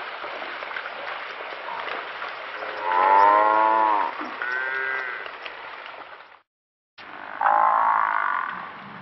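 African buffalo giving drawn-out, nasal, moaning calls over a steady hiss of background noise.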